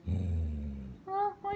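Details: Minnie, a six-year-old female Goldendoodle adopted at one year old, guards her favorite monkey toy at home with a low, rumbling growl lasting about a second, followed by two short, higher voiced sounds.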